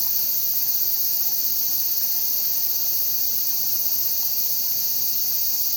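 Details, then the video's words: Cicadas at Yotsuike Park on a windy day, a steady, unbroken high-pitched shrilling drone that holds level throughout with no pauses, under a faint hiss of wind. "四ツ池公園 セミと風の音"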